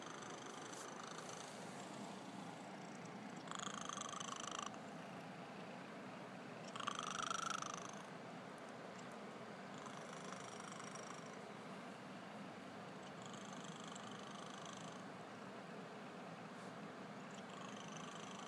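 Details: Sleeping cat snoring softly over a steady hiss. Thin whistling breaths rise and fall every few seconds, each lasting about a second, and one louder snort comes near the middle.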